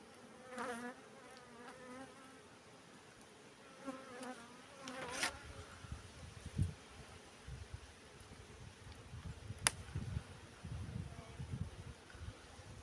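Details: Honey bees buzzing at a hive while a beekeeper works, a steady low hum with short harmonic bursts early on, then knocking and handling noises and a sharp click near the end.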